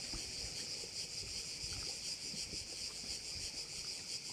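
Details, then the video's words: Crickets at one of the bays of Korčula, Croatia, producing a quieter, unbroken high-pitched rattling buzz with fast pulsing, and faint low rumbles from wind or water beneath. "view of one of the bays in Korcula with sounds of crickets"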